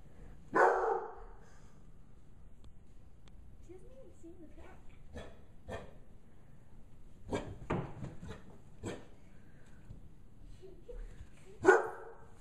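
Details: Bloodhound puppy, five months old, scared by a gorilla puppet, lets out a loud bark at the start and another at the end, with scattered short yips, huffs and soft whines between.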